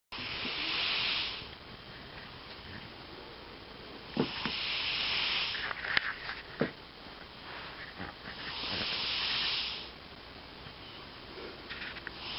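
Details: Elvis, a pet cat, snoring while asleep indoors: soft, breathy, hissing snore breaths recurring about every four seconds, with a few faint clicks and small knocks between breaths.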